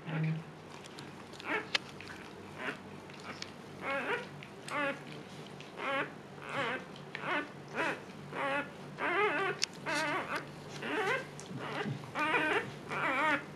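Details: Luna, a female Siberian Husky in labor with her second litter and calm this time, heard in a steady run of short, tonal whimpering cries, about one or more a second, rising and wavering, indoors.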